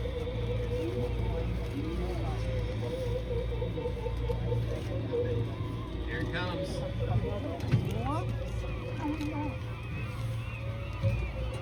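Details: Humpback whale song in August at Auke Bay, Juneau, Alaska, heard through a hydrophone on a whale-watching boat in a bubble-net feeding area: wavering moans and upward-sweeping cries over a steady low engine hum.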